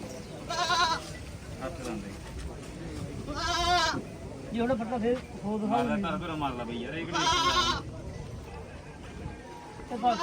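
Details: Goat at a goat market in Mullanpur while a sale is negotiated, three loud wavering bleats roughly every three seconds, with men talking between them.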